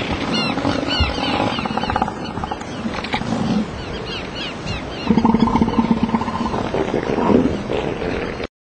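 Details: Elephant seals in the Antarctic Peninsula region in 2017 give guttural, bubbling groans and belch-like rumbles in rough, overlapping pulses, with thin squeaky notes faintly in the background.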